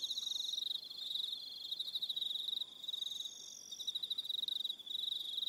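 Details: Evening cricket chorus from Aroha Island, New Zealand, with high, rapidly pulsing trills overlapping and a second shrill line rising and falling above the main buzz, near-continuous with short pauses.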